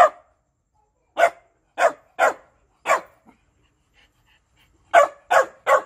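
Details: Shiba Inu dog barking while begging for food: sharp, short, mid-pitched barks in uneven bursts, one lone bark, then four spaced barks, a pause, and three quick barks at the end, eight in about six seconds, with no other sounds.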